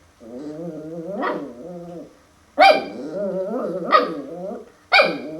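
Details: Max the puppy confronts a mirror for the first time: wavering harmonic growls broken by three sharp, bright barks about a second apart, with short quiet gaps between.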